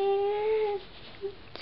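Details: Diesel the pet husky 'talking' indoors, in conversation with his owner about going upstairs: a steady, slightly rising, tonal howl-like moan for about three quarters of a second, then quiet.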